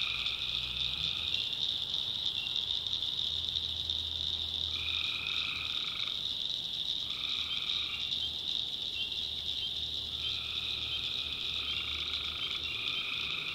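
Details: Tree frogs calling at night in the backwoods of North Carolina: a dense high chorus forms a constant shrill band, while louder drawn-out calls with a lower harmonic rise over it, each about a second long, repeating every two to three seconds.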